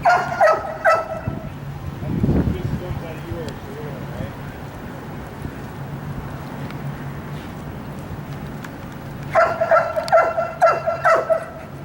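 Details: During a wildlife detection dog candidate evaluation, the dog Sirius gives a few sharp barks at the start. After a long windy stretch, a faster run of about six ringing barks follows near the end, with faint human talk in the background.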